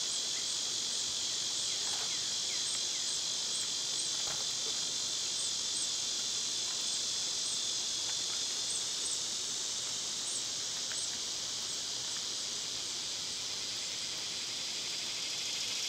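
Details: Summer cicada chorus forming a dense, continuous high buzzing hiss, with faint thin bird chirps and a few soft ticking notes scattered over the drone.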